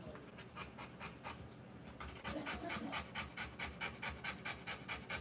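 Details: Rottweiler mother panting while giving birth to puppies, quick rhythmic breathy pants, more than two per second, growing louder and steadier after the first two seconds.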